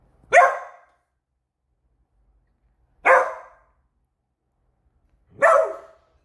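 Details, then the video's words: A pet Beagle barking nonstop at a new squeaky toy, three loud, sharp, ear-splitting barks spaced roughly two and a half seconds apart, each short and clipped, with silence in between. "Which Toys Cause a Beagle To Bark?"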